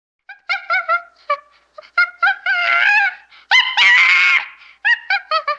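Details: Chimpanzee screaming: bursts of short, harsh, harmonic shrieks in quick runs, broken by two longer, noisier drawn-out screams, then another rapid volley of brief shrieks.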